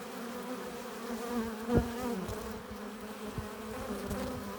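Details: Honey bees buzzing at a hive entrance as they arrive carrying pollen and nectar; a steady, dense hum with layered droning tones, brief louder passes of single bees near two seconds, constant swarm texture throughout.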